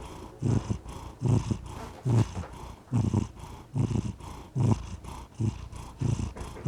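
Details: Domestic cat purring contentedly, a deep low rumble swelling in rhythmic pulses with each breath, roughly every 0.8 seconds, with quiet softer stretches between surges.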